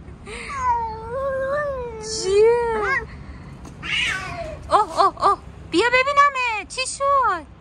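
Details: Fluffy stray cat being petted outdoors, meowing repeatedly: long wavering mews that rise and fall, then a quicker string of short meows near the end, with a person's voice mixed in at times.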